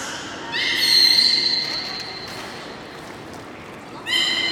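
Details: Beluga at Port of Nagoya Public Aquarium on 8 January 2018, around feeding and play time: a bright, sustained squeal with stacked overtones swells and fades for about two seconds, then a second squeal begins near the end over a reverberant indoor hall.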